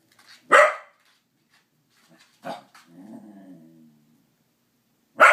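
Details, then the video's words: Corgis holding a greeting card at bay give sharp, loud barks spaced a couple of seconds apart, with a low rumbling growl between them. "Corgis holding Greeting Card at bay"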